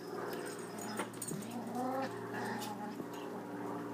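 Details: Boston Terrier puppies playing a three-way tug of war make small whiny, rising cries and short yips with some throaty rumbling, over a steady low hum and light scuffling; a chihuahua tries to join in.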